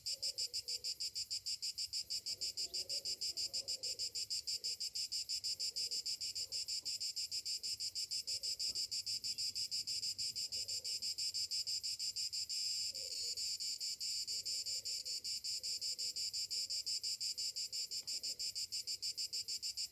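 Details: Summer morning cicadas keep up a loud, shrill, continuous buzzing with a steady pulse of roughly three beats per second, and soft scattered lower sounds behind them.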